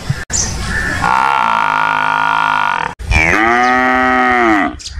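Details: Water buffalo giving a long flat drawn-out moo followed by a second, lower, arching moo that rises and sinks over about two seconds, with brief clicks between.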